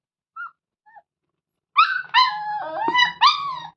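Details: Whining from a hungry Labrador Retriever puppy: two faint squeaks, a pause, then three loud whines, the middle one long and wavering, broken by a sharp click, with a low murmur beneath.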